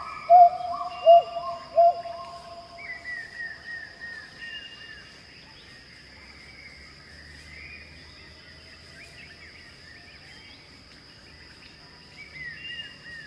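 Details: Song of a Pileated gibbon in Khao Yai National Park, Thailand: three loud upswept hoots in quick succession open the clip, then softer, more distant rising calls continue under a steady buzzing insect drone.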